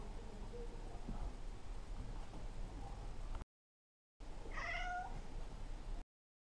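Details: Maine Coon kitten attacking and teasing a tolerant adult cat at play indoors; after a quiet stretch with a cut, a single brief upward-swooping meow rings out above a low background rumble.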